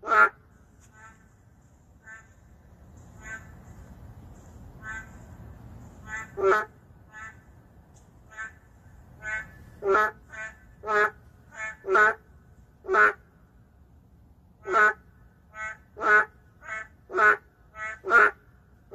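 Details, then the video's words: City-dwelling endangered narrow-mouthed frogs: a few scattered nasal croaks at first, then a quickening run of loud, short, buzzy calls from several frogs, nearly one per second toward the end. "도심 속 멸종위기 동물 맹꽁이 울음소리 (Narrow-mouth frog crying sound)"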